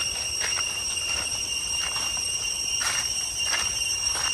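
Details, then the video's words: Cicadas in deep jungle along the way to Chhay Yong Waterfall, Areng area, Koh Kong Province, Cambodia: a continuous shrill, steady high-pitched drone in several pure bands, swelling in soft pulses about every 0.7 seconds. "Cicada sound in the deep jungle towards Chhay Yong Waterfall, Areng សំលេងរៃយំតាមផ្លួវទៅទឹកធ្លាក់ ឆាយ"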